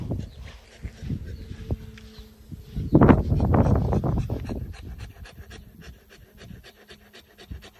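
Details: Saint Bernard dog tired from the heat on a walk outdoors; heavy rapid panting in breathy low bursts, loudest in the middle, about two to three breaths per second, with faint background hum.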